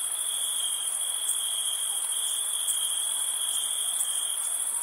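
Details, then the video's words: Summer-night crickets: a constant, shrill trill alongside a softer, higher hiss that pulses at irregular intervals. "Crickets Summer Night"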